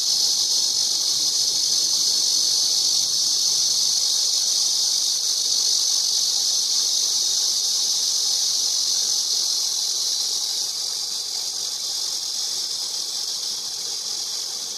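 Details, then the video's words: Cicada giving a steady, piercing, hiss-like buzz that runs without a break and eases slightly in loudness toward the end. "매미 소리"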